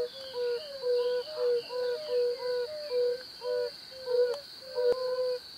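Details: Breeding-season chorus of male yellow-bellied toads in temporary pools, calling to attract females: mellow, low 'ouh-ouh' notes from several callers, alternating closely, over a continuous high-pitched background whine.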